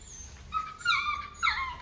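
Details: Puppy pleading with its owner not to go, standing on its hind legs: two thin, high-pitched whimpers, each wavering and then falling, close to the microphone in a quiet room.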